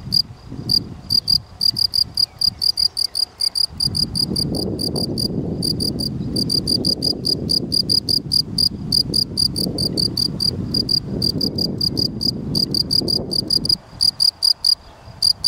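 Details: A field cricket (Gryllus campestris) keeps up a string of sharp, high chirps, several per second, while a low rushing noise, like wind, swells through the middle and fades near the end.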